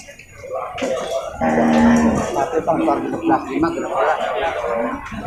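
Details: Female Limousin cattle at the large livestock market in Purwakarta, Indonesia, during loading and unloading of cattle and buffalo: a low, steady, drawn-out moo lasting under a second, with background music and people's voices throughout.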